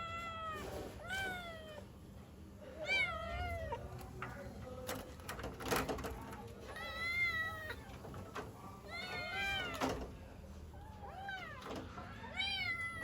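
Several kittens mew over and over in high, thin, overlapping cries that rise and fall with rich harmonics. They are calling for their mother, with a few faint knocks in the background.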